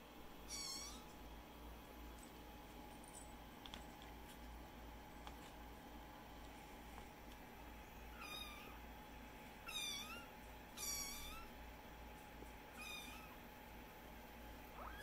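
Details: Kittens just awake from a nap, playing around and meowing indoors: five short, high, thin mews, one early and four clustered in the last seven seconds, each with a slight rise and fall, over a faint steady hum.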